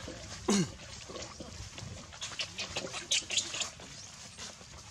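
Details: Hungry baby monkey crying to beg its mother for milk: one loud squeal sweeping sharply downward, then a run of shorter, softer whimpering cries over steady outdoor background noise.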